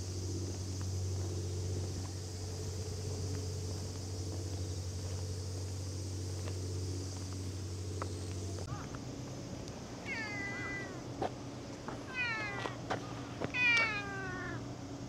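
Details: Cat giving a run of short, downward-sliding meows in quick succession in the last seconds, after a stretch of low engine rumble that stops partway through; faint knocks and rustling between calls.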